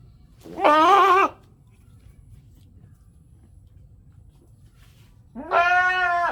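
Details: Goats in a village in Natore, Bangladesh, bleating: two loud, harmonic baa calls, the first around 0.5–1.3 seconds and the second starting near 5.3 seconds, separated by quiet low background rumble.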